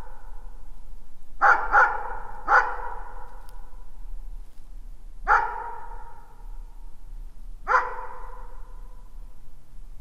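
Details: Dog barks in a compilation of barking and howling: a quick double bark, a third soon after, then single barks at about five and eight seconds, each loud and echoing over a quiet background.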